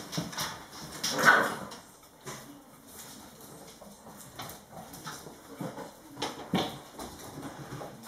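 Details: Litter of 5-week-old German Shorthaired Pointer puppies at playtime indoors: a short, strained whine stands out once early on, amid steady scrabbling, clattering paws and knocking, with faint scattered yips afterward.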